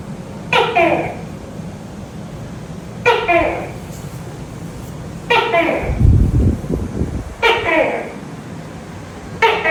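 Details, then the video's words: Five harsh, barking two-note calls from a tokay gecko at night, spaced about two and a half seconds apart, with a low rumbling noise between the fourth and fifth and a steady hum throughout. "Tiếng tắc kè kêu trong đêm, âm thanh tắc kè kêu"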